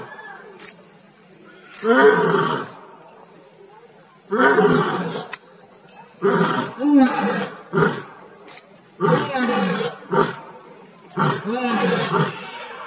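A lion gives a series of deep, rasping roars, each lasting under a second, repeated several times.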